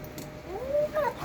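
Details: A pet dog yowling, a faint low rise into a wavering drawn-out whine, then a short higher squeaky note near the end, heard indoors over quiet background hiss.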